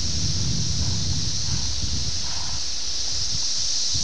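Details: Continuous high-pitched drone of 17-year periodical cicadas, Brood X, Ayersville, Ohio, June 18, 1987, VHS recording; strong low wind rumble and leaf rustle dominate the foreground.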